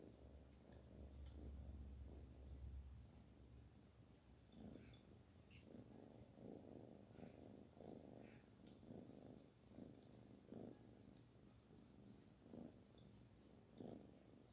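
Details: A kitten purring while being petted; a steady low rumbling purr runs throughout, with soft rustling and brief touches of handling noise.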